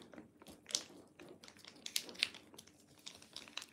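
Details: Indoors in a small room, sharp crinkling and tearing noises with scattered clicks and taps, and no animal voice heard.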